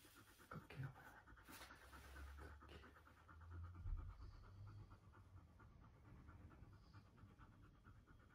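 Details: A husky meeting a puppy for the first time pants steadily, a rapid even chain of breathy strokes around three or four per second, with low rumbling handling noise underneath.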